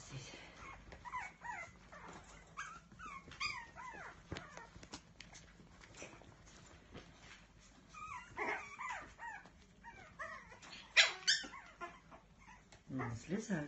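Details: Whining Biewer Terrier puppy gives a long run of short, high, bent squeaks and whimpers, several per second, in uneven bursts, with occasional soft thumps and rustling in a small room.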